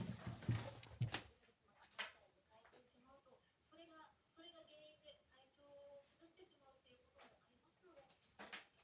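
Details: Sette, a male Maine Coon cat born 21 July 2021, kept indoors as a family pet, gives a run of soft, short, tonal meows and chirps about once a second, with quiet human voices and a few sharp knocks in the room.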